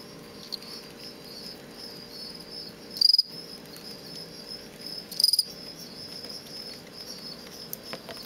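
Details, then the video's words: Male fall field cricket in captivity, from stock collected on a road verge just outside Lethbridge, Alberta, giving aggressive song used during contests: two brief, high, pulsed chirps about two seconds apart, separated by steady background hiss. "Fall Field Cricket"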